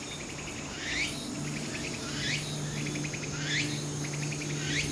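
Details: Walker's cicada calling on Ikazuka-yama, Japan, on 4 September 2016, the day before Typhoon No. 12 made landfall: short trains of rapid pulsing notes, each ending in a sharp rising sweep, repeated about every 1.2 seconds over a steady low hum.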